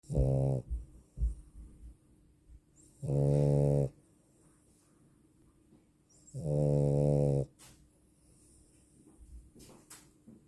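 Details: Female French Bulldog snoring: three loud, low droning snores, each about a second long, separated by roughly three-second pauses of quiet breathing in a still room.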